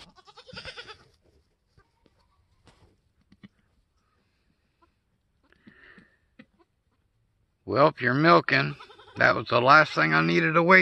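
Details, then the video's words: Newborn F4 mini Alpine buckling, black with white frosted ears and nose, the third kid born on a homestead on March 13, 2021. Near silence with faint soft sounds, then loud, quavering, wavering bleats packed into the final three seconds. "3rd baby goat born on homestead today"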